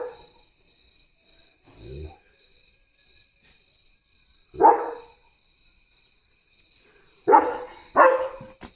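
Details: German Shepherd on early morning barking duty at home, barking at a dog seen outside: a single bark, then a sharp bark and two quick loud barks near the end, with a short human vocal sound between.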